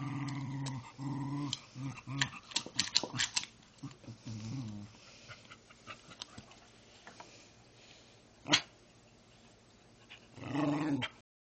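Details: Pet dog asking for dinner: low rumbling growl-like vocalisations in two short bursts, then a choppy run of yips and grumbles, a sharp click, and a final rumbling growl at the end.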